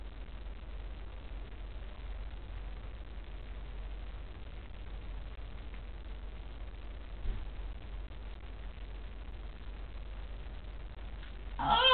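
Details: Steady low background hiss and hum fill the recording, with a brief louder burst of noise at the very end. No animal voice can be picked out.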